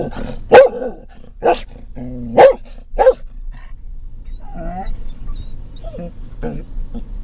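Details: A Scottish Terrier riding in a van barks at other dogs and cats, a series of sharp, loud barks followed by softer whining notes.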